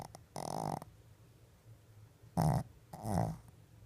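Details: A female Shih Tzu snores in deep sleep, eyes partly open, with rough, rattling breaths coming in uneven bursts.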